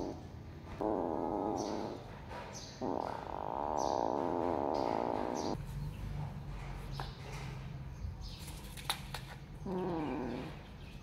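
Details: Cats competing to eat mice give long, quavering meows in two drawn-out bouts and a brief final one, with quieter gaps of rustling and sharp clicks between them.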